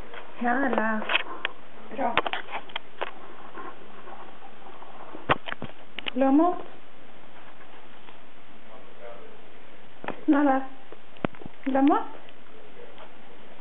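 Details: Basenji puppy gives short, warbling, yodel-like calls that rise and fall, impatient for food.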